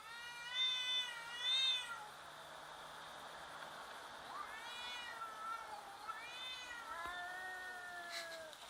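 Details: Cats intimidating each other in a fight, slowed down: two loud quavering yowls early, then several shorter wavering meows and a falling moan against a hissy background.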